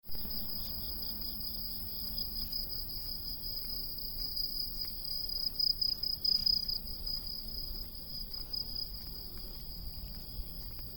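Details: Cicadas, called August cicadas, giving a steady, shrill, high-pitched drone that holds throughout with slight pulsing and a brief louder swell near the middle, over a faint low rumble.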